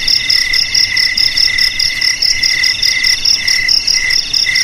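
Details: Shrill cricket song, used to scare off rats; dense high-pitched pulsing trills in stacked bands, short bursts repeating steadily for the whole stretch, background otherwise quiet.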